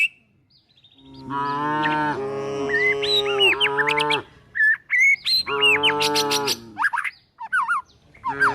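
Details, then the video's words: Tame village cows and calves being herded toward a forest while looking for food: a long harmonic moo lasting about three seconds, then a shorter second moo, with busy chirping songbirds in between and after. "the sound of calves, cows looking for food"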